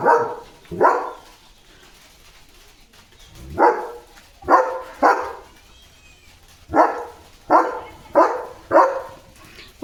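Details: German Shepherd dog barking loudly and non-stop as the weather turns stormy with dark clouds, strong winds and light rain on an evening; about ten deep, harsh barks come in pairs and threes with short gaps, a woman speaking Marathi nearby.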